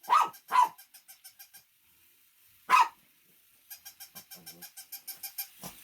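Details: Three sharp barks from a Shih Tzu, two close together then one after a pause, alongside a steady train of faint, evenly spaced ticking or tapping pulses.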